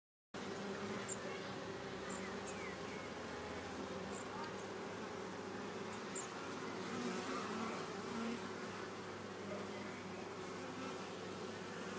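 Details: A Western honey bee swarm, caught in 2020 and settling into its beehive an hour after capture, makes a dense, steady, droning buzz of countless wings.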